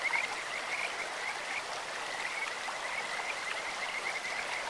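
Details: Kajika frogs calling in a clear stream: a steady, high, musical trill holds one pitch, bird-like and continuous, over a constant hiss of rushing water.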